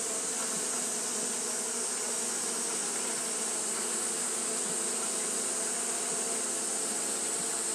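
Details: Japanese honey bees fanning continuously on a hot day, a steady droning hum with low buzzing bands under a constant high hiss, unbroken through the whole stretch.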